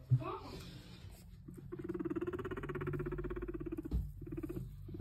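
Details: Pet guinea pig indoors during cage cleaning, giving a low, rapidly pulsed purring rumble that runs steadily for about two seconds, with a person's voice briefly at the start and handling noises.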